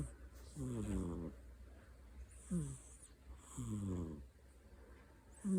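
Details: Domestic cat named Kai in a deep sleep with its eyes open, snoring. Low, rasping, buzzy snores rise and fall with each breath, coming about every one and a half seconds, with faint soft hissing between them.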